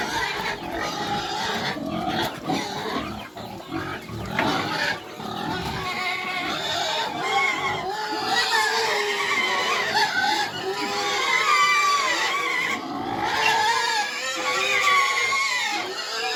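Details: Happy pig on a free-range farm, giving a steady run of fast, tonal grunts and squeals that rise and fall, about three a second, with faint voices in the background.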